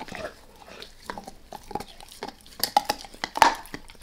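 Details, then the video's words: Max, a dog, gnawing a beef rib indoors in a small room, at first lightly: soft wet licks and chews, then sharper crunching bites growing louder toward the end, no talking. "Max Eats | Beef Rib | ASMR DOG EATING"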